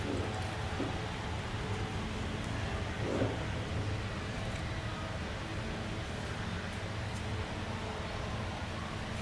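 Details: Constant broadband hiss and low hum with a brief soft thump in the middle; no animal voice is heard.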